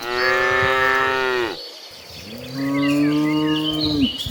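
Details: A herd of tame cattle heading to green pasture: a sustained rich moo for a second and a half, a brief pause, then a second long bellow sliding down at its end, with faint bird chirps behind.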